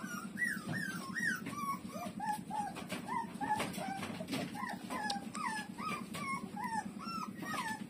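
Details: Puppy Lulu breastfeeding from its mother: high, arched whimpering squeals repeated about once a second, some sliding down in pitch, over a steady low pulsing hum.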